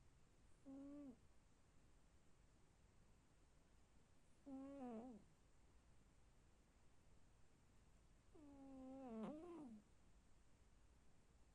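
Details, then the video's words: A cat snoring: three low, voiced snores, each about half a second long, holding a steady tone and then dropping at the end. They come roughly every four seconds against a quiet, faintly hissing background. "Услышьте как храпит кот"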